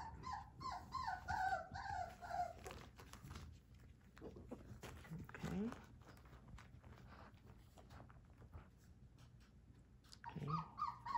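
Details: Three-week-old Whippet puppy indoors crying in wavering, pulsed whimpers for the first two and a half seconds. Quiet shuffling and a low sliding squeal follow. A loud burst of whining returns at the end.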